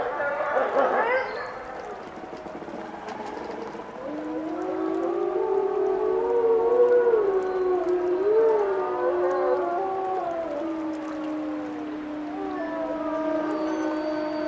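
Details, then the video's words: Wolf howl chorus opening with a short rising cry, then layered sustained howls that waver and dip before settling into one steady held tone to the end. "Wolf Song"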